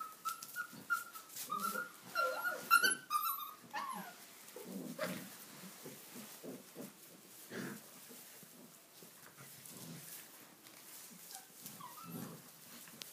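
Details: Tibetan Mastiff puppies, six weeks old, romping indoors in a stable on their first visit; thin drawn-out whines and squeaky yelps fill the opening seconds, then give way to scrabbling paws, bumps and rustling straw.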